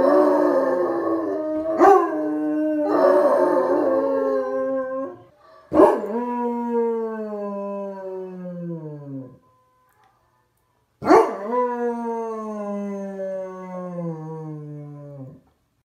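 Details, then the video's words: Basset Hound howling in a series of drawn-out cries: two wavering, warbling howls with short breaks, then three long tonal howls, each starting with a sharp onset and slowly sliding downward in pitch as it fades, separated by silent gaps. "Basset Sound Hound Dog howling"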